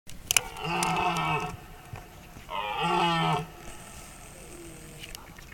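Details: Two long, deep, groaning roars come from a red deer stag at night during the rut, each about a second with a rough, resonant tone, over a faint background hiss.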